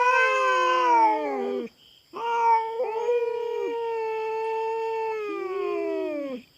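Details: Feral cat on a farm in the Philippines, come to raid the farm cats' territory and fighting a black cat: long drawn-out yowls, held level then sagging downward, with a brief break; a faint steady high insect hum behind.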